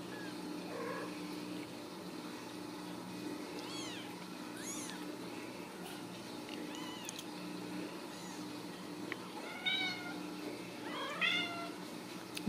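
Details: Ragdoll kittens raised in a home cattery in central Kansas, kept without cages; several high, thin, arching meows rise and fall in scattered bursts, some overlapping, over a faint steady indoor hum.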